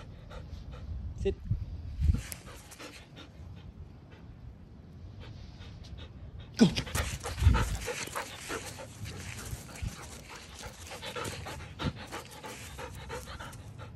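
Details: Standard Poodle, silver, pants in quick, breathy bursts after being let out into the back yard after rain, happy, with a person's voice in the background.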